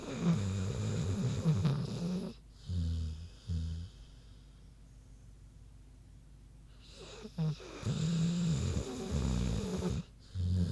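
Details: Big pig Queenie snoozing, giving low grumbling snores in bursts, a quiet gap of several seconds in the middle, then more deep rattling snores toward the end.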